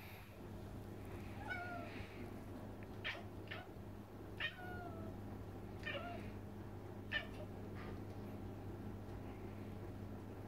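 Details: Indoor cat, described as yelling at a rabbit and a bird, gives a series of short, rising and falling meows and chirps spaced a second or two apart over a steady low hum.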